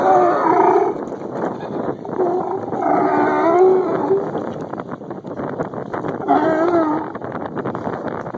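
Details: Sea lions angered by one of their number give drawn-out, wavering, harmonic bellows in three bouts, near the start, around the middle and toward the end, over a steady din from a crowded group.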